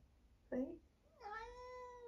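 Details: 1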